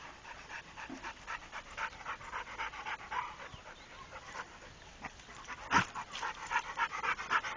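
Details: Rako the trained Pit Bull pants hard and close, harsh airy puffs at nearly four per second that grow louder toward the end, with one sharp tap.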